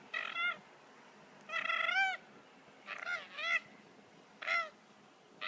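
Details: Two koalas fighting on the ground at a wildlife sanctuary, rolling about rough and tumble after a tree fight; harsh, wavering, nasal squealing cries in about five bursts of half a second or so, separated by short quiet gaps.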